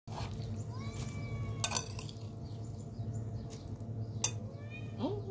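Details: Two hungry cats, a tabby and a black one, being given food. Short, thin tonal meow near the start and a brief rising meow at the end, over a steady low hum, with clinks of dishes and cutlery.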